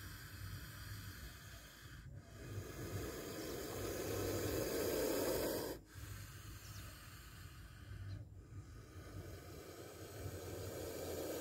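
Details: Hissing spectacled cobra in a close encounter that nearly ends in a bite: soft airy noise builds into a strong breathy hiss peaking around five seconds, cuts off sharply, then a gentler steady hiss resumes.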